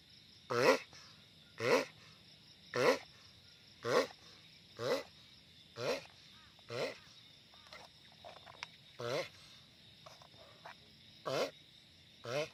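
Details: Loud giant sulcata tortoise giving a long series of brief, harsh moaning grunts, about one per second and fading slightly midway, with a constant high whine in the background.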